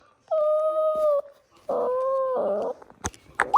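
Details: Toy Poodle whining in long, steady, tonal notes with a clear overtone, two sustained cries around one second each, followed by short clicks and a brief squeak.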